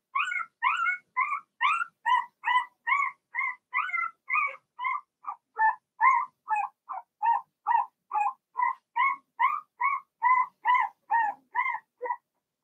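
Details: Whining Blenheim Cavalier King Charles Spaniel puppies from Remy's litter of six, kept in an indoor pen, keep up an even, insistent chain of short yelps about two per second for over twelve seconds.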